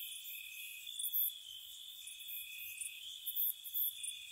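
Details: Crickets at night in spring near a cottage, a steady high-pitched trill underneath a few short, louder chirp bursts near the end, calm and insect-only.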